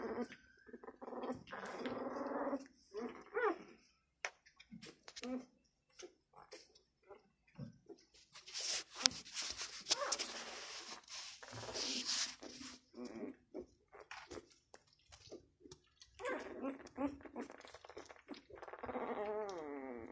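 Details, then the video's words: Six-day-old Labrador Retriever puppy making scattered soft whimpers and grunts between rustling and handling noises, with a longer high whine in the final seconds; bursts of hissy broadband noise in the middle. "6 day old labrador puppy"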